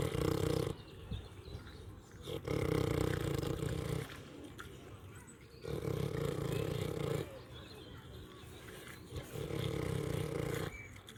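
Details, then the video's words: Pig snoring while eating, with deep, rough, rumbling breaths about two seconds long. They come in a steady cycle and fall to near quiet between them. "LISTEN TO PIG EATING AND SNORING SOUNDS"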